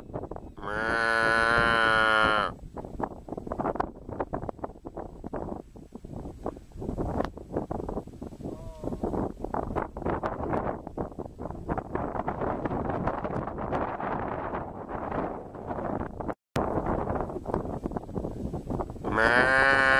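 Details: Cow lowing: a loud sustained moo of about two seconds opens the recording and another begins at the very end, with dense crackling, rustling noise between them.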